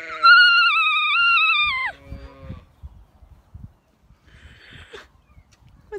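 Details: Female alpaca in County Kilkenny, Ireland, giving one high, slightly wavering note of her opera song that drops sharply at the end, followed by quiet rustling.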